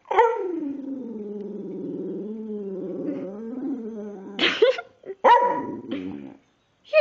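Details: Talkative pet dog, a female, singing and talking indoors: a long, wavering, moaning croon lasting about four seconds, rising and dipping in pitch, followed by short yelps and whines, with a person speaking softly nearby.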